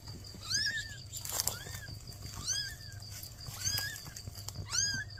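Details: Newborn kittens with a mother cat asking for help: high, arched meows rising then falling, repeated roughly once a second over steady low background hum.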